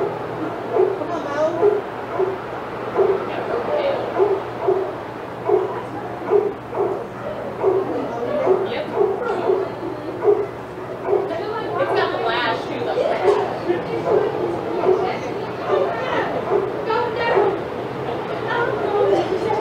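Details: Excited senior dogs in a yard at Old Friends Senior Dog Sanctuary, reacting as Titus passes by, bark almost nonstop, roughly once every second and overlapping at times, with a low steady hum underneath.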